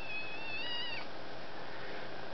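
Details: Female domestic kitten indoors in the evening, screaming and talking at her owner while the TV is on; one high, harmonic meow lasting about a second, level then bending down at the end, followed by quiet room hiss.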